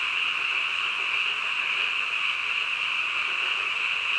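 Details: Night-time frogs filling the air with a seamless, shrill chorus, an even droning trill sustained without pause and nothing else clearly audible.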